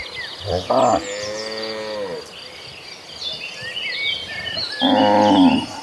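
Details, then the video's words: Herd of cattle walking toward green pasture: a drawn-out moo that falls at its end, a quieter stretch with bird chirping, then another moo beginning near the close. "A Herd of Mooing Cattle Walking Toward a Green Pasture, the Sound of Mooing Cows"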